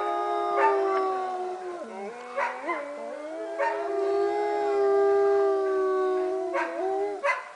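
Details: Layered wolf howls at Northern Lights Wolf Center, Golden, British Columbia, Canada; one voice dips and swoops back up near two seconds while the others hold long, even notes, with a few scattered clicks.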